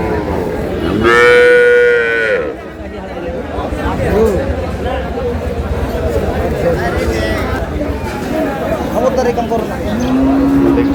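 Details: Among cows with calves for sale at Aftabganj market, Dinajpur, on April 11, 2026, a loud, clear moo lasting over a second rises and falls slightly. Men talk over the crowd noise, then a lower, longer moo starts near the end.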